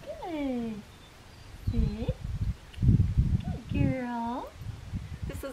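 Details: Blue merle female Australian Shepherd puppy at Fifteen Acre Farms, Oklahoma, giving thin, high whimpering whines that arch up and fall away in three short bursts, with a person's low voice talking between them.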